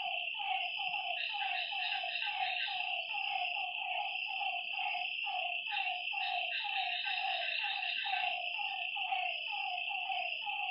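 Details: Lakeside frogs at night, a dense run of quick, slightly falling croaks, about one a second, layered under an unbroken high-pitched whine of night insects.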